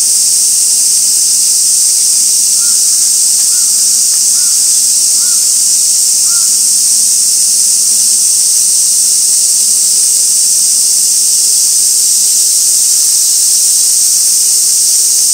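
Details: Cicada chorus at Gaikotsu-yama on 2 August 2024, fixed camera trained on an old sawtooth oak crowded with white-spotted rose beetles: a constant high hissing drone, with five faint, short mid-pitched notes near the start.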